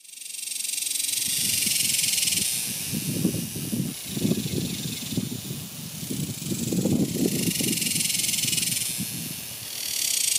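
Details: Cicadas singing in summer 2021: a steady, hissing high buzz that swells and fades, with irregular low thuds and rustling like footsteps underneath.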